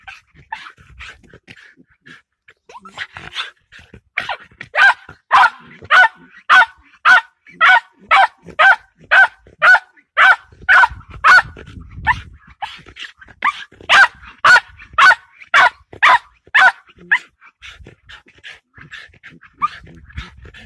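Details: Patterdale Terrier facing a fox, barking steadily at roughly two barks per second in a long even run, quieter scattered yips before and after the main sequence.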